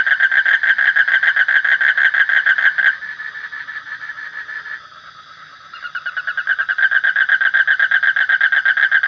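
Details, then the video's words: Loud, rapid, buzzy trill of a frog, made of closely spaced pulses. It softens for a couple of seconds midway, then swells back to full strength, with a steady high-pitched hum in the background. "Suara Kodok / Frog Sound"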